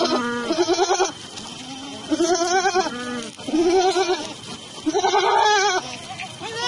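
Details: Sojat Sirohi goats at Pune, male and female animals kept for sale, give loud quavering bleats about every second or two, nasal and tremulous, several goats calling in turn; little other sound.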